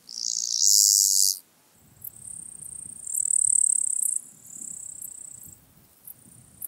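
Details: Black-spotted toothed grasshopper (Stenobothrus nigromaculatus), Kyffhäuser, Germany, 19 July 2018: very high, dry buzzing bursts of one to two seconds, the first and loudest, with short clicks between and a faint low rumble beneath.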